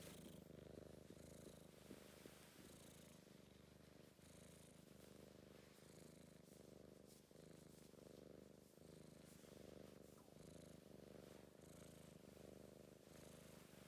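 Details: Affectionate British Blue shorthair cat giving a continuous deep, vibrating purr, even and unbroken, with gentle breathy swells and a few faint rustles.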